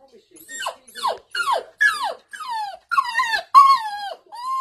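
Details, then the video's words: Female toy poodle crying and howling because she can see her owner and her toy poodle brother playing together in the back garden; a series of high, sharply descending whines, each about half a second, growing longer and steadier toward the end. "Crying Poodle"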